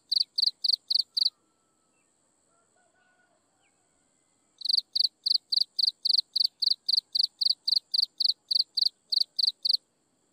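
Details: Chirping insects at sunset, regular high pulses about four a second: a short burst of five, a quiet gap of three seconds with faint soft background sounds, then a long steady run of bright chirps.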